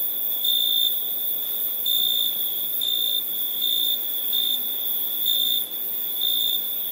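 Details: High, shrill cricket chirping at night, a constant ringing tone swelling in even pulses about once a second, with a faint background hiss.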